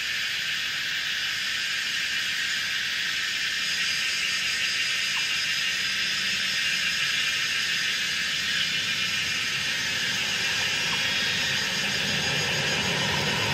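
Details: Kaempfer's cicadas chorusing on a mountainside in Pinghe Village, Taiwu Township, Pingtung County, Taiwan, at 17:30 on 19 May 2016; a thick, unbroken shrill buzzing with faint low rumble beneath. Recorded with a Canon PowerShot SX700 HS.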